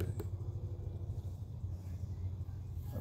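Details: Low engine rumble outdoors, like a passing vehicle, with a faint voice; no animal sound is heard.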